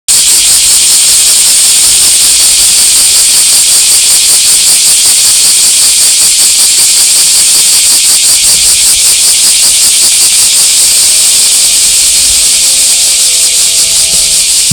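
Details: Bear cicada (kumazemi) filmed on 30 June 2018, a deafening, unbroken high buzzing hiss with a fast, even pulsing throughout, steady in loudness from start to finish; no other clear sounds.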